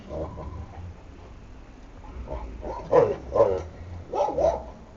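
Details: Šarplaninac puppies from a litter of Lun od Bjelica and Tara od Bjelica. After a quiet start, a few short, high yipping barks come in separate bursts in the second half, with a low background rumble.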